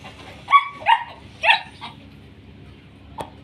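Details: Short-coated male German Shepherd puppies offered for sale in Pakistan, recorded on a Thursday at 12:30. Three high, harmonic puppy yips in quick succession, then a fainter fourth, over a steady low hum with a man speaking Hindi-Urdu.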